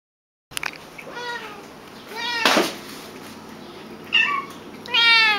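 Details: Pet cats indoors giving a series of about four meows, each a harmonic, slightly falling wail under a second long, spaced irregularly over five seconds, with a faint steady high hum behind.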